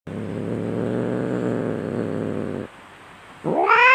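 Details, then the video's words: Fighting domestic cat, a fierce low rumbling growl held steady for over two seconds, a short quiet pause, then a sharp rising yowl breaking in at the end. "SUARA KUCING BERANTEM - Dijamin 100 % Garang !!"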